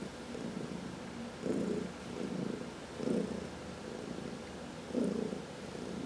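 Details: Low rumbling purr of a pet cat receiving a massage, one of four cats in the home; pulsing swells about every one and a half seconds over a soft steady drone, quiet indoor background.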